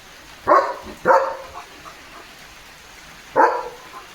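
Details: Leo, a German Shepherd, plays with a water mug in the rain and gives three short, sharp barks: two close together, then a pause and a third, with the patter of rain underneath.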